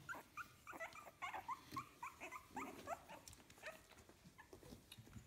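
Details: Soft, high squeaks from 15-day-old puppies of litter "A", kennel Fox Empire, repeat quickly and irregularly, short upward-sliding peeps over a background of rustling and light handling noise.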